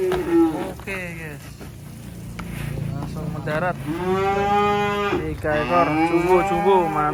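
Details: Sacrificial black cattle unloaded from a truck at a rural pen. Several moos come in succession: a short opening call, a long steady bellow in the middle, and wavering calls at the end, over a low background rumble.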